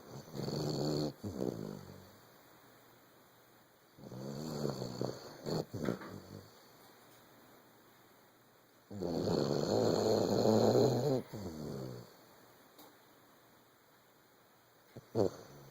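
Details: A 14-month-old Vizsla snores in slow, raspy breaths, each rumbling snore lasting a second or two.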